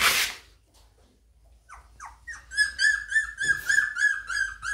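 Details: Labrador Retriever puppies playing: after a loud rustle, a string of rapid high-pitched squeaky whimpers, about nine short pulses, repeating roughly four times a second.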